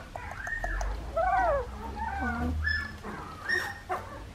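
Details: Litter of 2.5-week-old Australian Shepherd puppies whining indoors: arched, wavering high cries with clear overtones, several pups taking turns over a low background hum.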